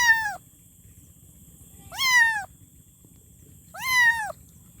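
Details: Kitten calling for its mother, repeating harmonic meows roughly every two seconds, each sharply rising then gently falling and lasting about half a second; three calls heard, the first clipped, over quiet low rumble.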